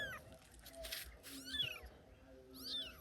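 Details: Cat under attack from dogs, crying with short, wavering meows that rise and then fall, the first around the middle and another near the end. Rustling and a low steady hum fill the background.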